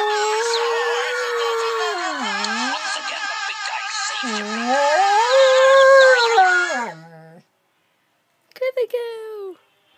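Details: Dalmatian called Princess indoors singing along to a Go Compare TV advert: one long wavering howl that dips low and swings back up several times over about seven seconds, then a pause and a brief rising howl.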